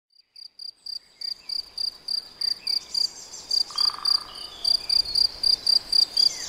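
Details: Cricket recorded in the Nagyerdő forest of Debrecen: after a brief silence, steady high-pitched chirps begin and repeat about four times a second, with faint distant bird whistles in the background.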